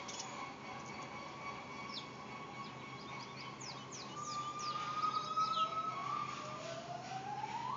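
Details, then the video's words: A gibbon at a zoo gives long, siren-like hoots that swoop upward, with small birds chirping in the background. "Gibbons Making Noise at Stone Zoo"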